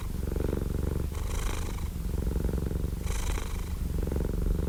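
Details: Close, steady purring from a cat: a low buzzing rumble with a breathy lift about every two seconds.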